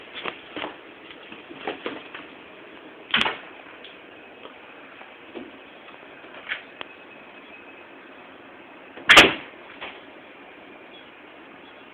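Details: A muffled, quiet room with occasional sharp knocks and taps, the loudest near the nine-second mark, and no animal sound.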